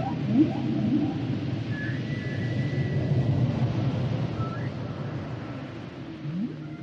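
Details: Humpback whale song underwater: low rumbling tones with a long thin whistled note near the middle, a short rising sweep at the start and another near the end, over constant deep ocean rumble.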